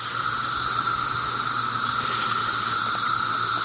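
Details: A dense chorus of 17-year periodical cicadas swarming a backyard holly tree, many flying and very active, the owner thinks near the end of their cycle: a steady, unbroken droning whine over a bright hiss.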